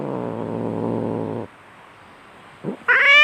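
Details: Domestic cat in a fight growling low and gritty for about one and a half seconds, then quiet, a brief grunt, and a loud high yowl bursting in.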